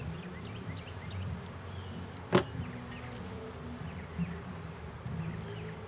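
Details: Bees from a trapped swarm being removed from a swarm trap, giving a continuous low droning buzz, broken midway by one sharp knock and a few soft bird chirps.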